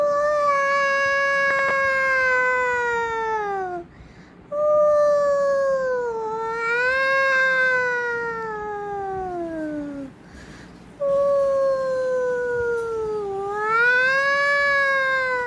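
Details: Domestic cat giving three long, drawn-out tonal yowls, each lasting three to six seconds, wavering and sliding downward in pitch with rich harmonics, separated by short pauses.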